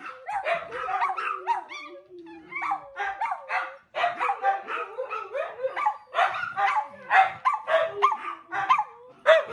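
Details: Several house dogs keep up a noisy chorus while their owner tries to watch TV: rapid, irregular yips and barks, nearly two per second, over rising and falling whine tones, with a brief lull near four seconds.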